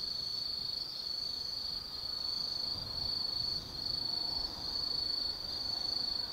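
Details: Night chorus of autumn insects at Tsukimi no Mori hilltop forest in Kaizu, Gifu, Japan: a high, thin trilling tone held almost without break, pulsing in short bursts of a second or so, with soft low rumble underneath.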